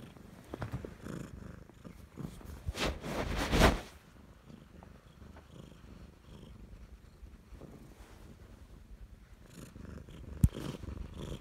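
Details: A clingy, owner-attached Siamese cat purrs steadily in a low, rumbling drone, broken by a few louder rustles.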